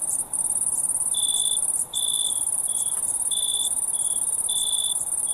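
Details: Crickets in the night give bright, slightly longer chirps in uneven succession, backed by an unbroken shrill insect trill.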